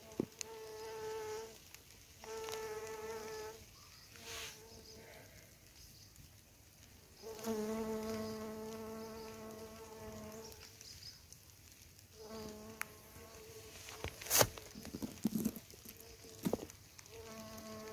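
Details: Bumblebees, around forty, foraging daily on a patch of wild flowers grown from a supermarket box; steady droning buzz with clear harmonic tone, in several bouts of two to five seconds separated by short gaps, with faint background rustling.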